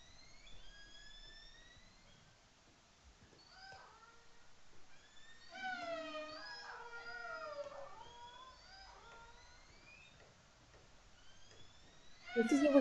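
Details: Killer whales recorded on a hydrophone in the Beaufort Sea, Arctic, give overlapping harmonic calls that sweep up and down, some rising sharply and others bending downward; with less sea ice, more are heard moving further north.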